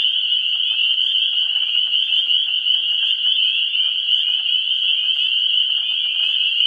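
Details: Frog chorus from a vernal pool, pre-spring, 17 March 2016: a high ringing mass of overlapping calls, with distinct short clicks and peeps in the foreground and a faint lower trill layer.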